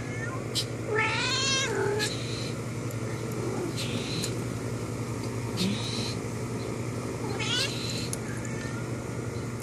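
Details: Indoor cat calling to a friend outside the window with a strong, bending harmonic meow early on and a shorter meow later, set against a steady electrical hum and soft background noise.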